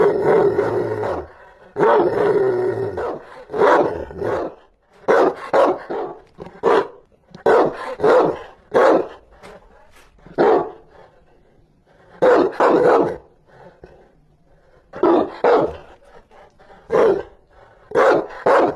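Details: Fiercely barking Rottweiler: opening with two rough growling roars, then a long run of sharp barks in quick pairs and triplets with short gaps between.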